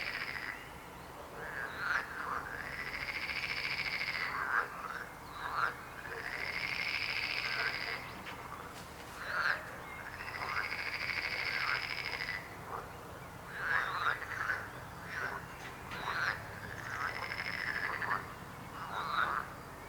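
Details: Frog chorus with rhythmic croaking: long buzzy trills lasting two to three seconds recur about every four seconds, interleaved with short rasping, arched croaks from other frogs.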